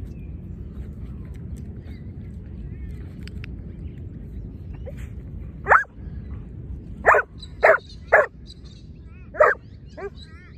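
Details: Lure training session with two Giant Schnauzers: quiet rumbling background with scattered bird chirps, then a burst of six gruff, loud barks, several fired in a rapid run of three, others spaced a second or more apart.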